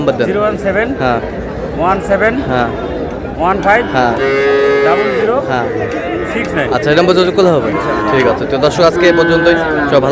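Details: Sahiwal breed bull calves at a market on 24 February '26, bought by a Noakhali farmer; a long, steady, harmonic moo of about two seconds in mid-clip, with busy overlapping speech and market noise around it.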